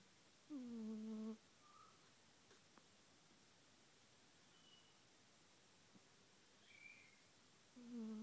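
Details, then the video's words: Snoring Siamese named Taffy: a low humming snore nearly a second long, a quiet gap with faint small clicks, then the next snore beginning about seven seconds later, indoors. "Taffy Snoring ! ADORABLE!!"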